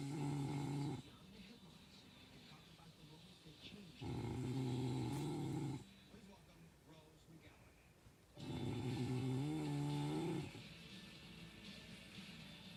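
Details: ['Dog snoring in its sleep: three deep, droning snores a few seconds apart, the last slightly rising and wobbling, with soft rustly breathing between them.']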